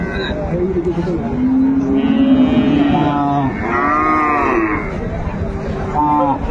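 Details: Cow with calf at Ambari livestock market, Dinajpur, 22 April, during bargaining: a drawn-out low moo holding a steady pitch for over a second amid close, loud men's voices haggling.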